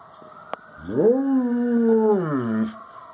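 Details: A 9-year-old Samoyed mix in Lancaster Township, Pennsylvania howls along with police and fire sirens, one drawn-out howl that rises, holds steady, then slides back down.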